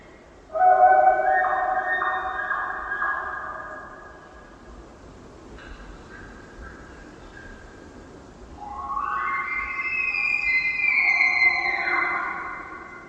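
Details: A bull elk in the Quinault Valley, Olympic Peninsula, among Sitka spruce with a river in the distance, bugles during the rut, a high call climbing in pitch and ending in grunts, to intimidate rival bulls and attract cows.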